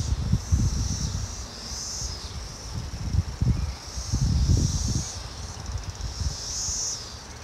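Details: Brood X periodical cicadas in an Ohio backyard in May 2021: a steady, high, droning chorus that swells and fades in waves every second or two, over heavy low rumbling from wind or handling noise.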